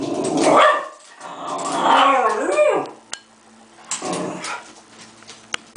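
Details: Cocker spaniel growls at a bug in rough, throaty bursts that rise and fall, with brief quiet gaps, loud enough to be heard from another room.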